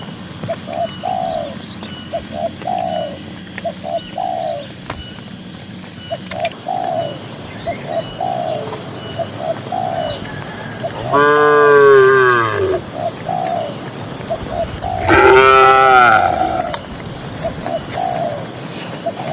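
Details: Soft, rhythmic dove coos fill a quiet rural pasture for several seconds before tame grazing cattle break in with two strong, lowing moos a few seconds apart.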